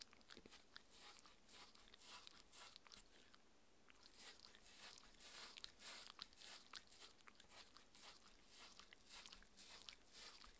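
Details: Raw beef patty being chewed by a 6-year-old female Shetland Sheepdog in a small room; rapid crunchy bites roughly twice a second, a short quiet break near four seconds, then louder smacking chews.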